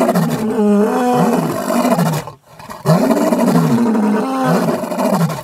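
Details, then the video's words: Mapogo lions in the bushveld, roars said to carry some 8 kilometres, give two long, rich, throaty roars with wavering pitch, split by a brief silent break. "Mapogo roars the entire bush-veld shivers with fear"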